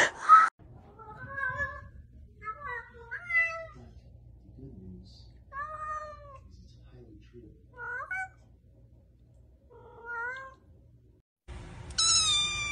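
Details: Domestic cat, a mother cat playing and talking with her meowing kittens: about seven clear, tonal, rising-then-falling mews with strong harmonics, spaced one to two seconds apart in a quiet room, with a short burst of other noise at the end.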